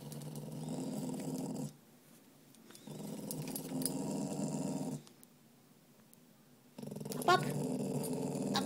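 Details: Grouchy spaniel mix male refusing to go for his walk, giving three sustained low rasping growls of about two seconds each, broken by short breathing pauses, with a brief click near the end.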